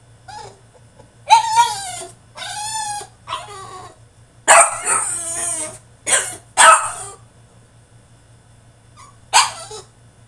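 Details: French Bulldog in his cage having a tantrum: drawn-out, quavering whines alternate with raspy barks, then a pause of a couple of seconds before one last bark, with a low background hum.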